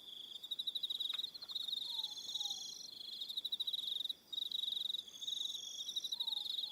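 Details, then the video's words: High-pitched pulsed trills from many crickets on an evening on Aroha Island, New Zealand, running in bursts broken by a brief silence midway, with faint low whistled notes in the background. "1 Hour Relaxing Evening Sound of Crickets"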